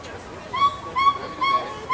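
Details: Gibbons at Animal Kingdom, Walt Disney World, 2018, calling to each other: four loud, even hooting notes, each held briefly and spaced about half a second apart, over a low background murmur of visitors.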